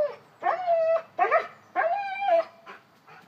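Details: Cane Corso, a one-year-old dog named Rhynomax acting like a baby, whines in three long drawn-out cries around half a second to a second each, steady high tone with harmonics, then a fainter fourth whimper.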